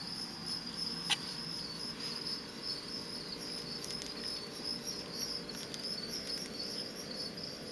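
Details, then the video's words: A captive male fall field cricket (Gryllus pennsylvanicus), offspring of crickets collected near Lethbridge, Alberta, sings aggressive song used in contests between males, a steady, high, pulsing trill that carries on without pause. "Fall Field Cricket"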